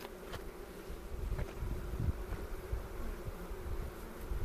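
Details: Deep, constant hum of a honey bee hive being worked by beekeepers in the foothills near Cochrane in April 2018, captured with a 360 camera; dull bumps from handling recur every second or so.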